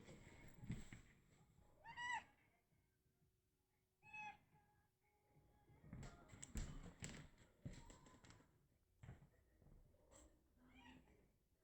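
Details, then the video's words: Tiny ten-year-old female cat in heat, weighing about 650–700 grams, calling quieter than usual; two short wavering, harmonic cries near the two- and four-second marks, with thumps and household rustling in between. "My 10 year old female cat in heat."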